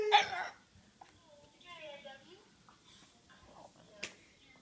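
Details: Maverick, a French Bulldog indoors, howling at his own howl: brief wavering tonal cries sliding downward around two seconds in, after a sharp opening yelp, with a click near the end and quiet room noise.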